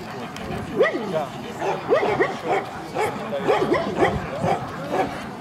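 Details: Central Asian Shepherd Dog at a club breed show, Kyiv (Krasylivka), 28 September 2019; short harsh barks come in quick uneven bursts, several per second, over steady crowd chatter and voices.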